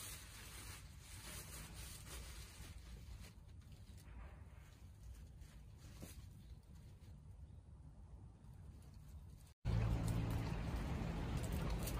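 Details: Only broadband rustling and handling noise are heard, cut by a brief dropout and a louder burst of noise at the end.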